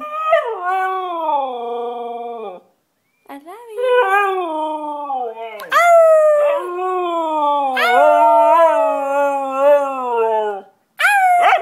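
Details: White Siberian Husky singing loudly: drawn-out howls that slide slowly downward, then a series of rising and wavering wails with little breaks, held for several seconds each.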